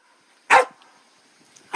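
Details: A dog gives two short, sharp barks, one about half a second in and another near the end, with quiet between them.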